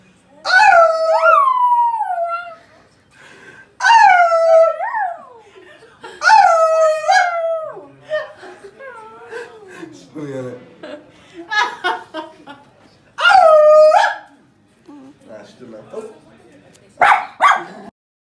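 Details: A female pet Miniature Schnauzer in Greece, who loves howling, howls in long, wavering, rising-and-falling notes, with a person's voice in between.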